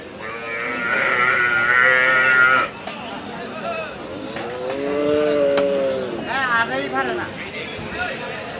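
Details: Cattle at a Bangladeshi cattle market where a bull is being bargained over: a strained, higher-pitched bellow for nearly three seconds, then a lower rounded moo, with voices of the market crowd around.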